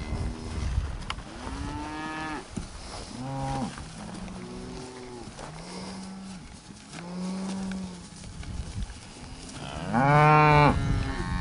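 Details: Hereford herd in a summer 2015 breeding pasture, including LBH 40W Ribstone 171A: a series of moderate moos of varying length, some short and choppy, some held flat, closing with one loud, strong low bellow.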